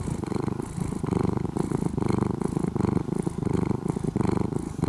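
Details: Former stray kitten, an orange-and-white cat now living almost as a house cat in Japan, purring loudly: a steady low rumbling throb pulsing about 86 times a minute, close and continuous throughout.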